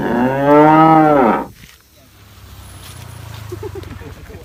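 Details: Tame cow grazing green grass, giving one loud arched moo of about a second and a half with rich stacked harmonics, then quiet with a low steady rumble and faint soft sounds.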